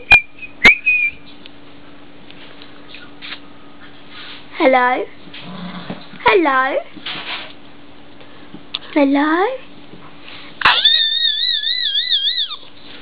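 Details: Young whippet Bo, a blue and white female eight weeks old, utters several dropping, quavering whines with pauses between them; a wavy, warbling whistle follows at the close.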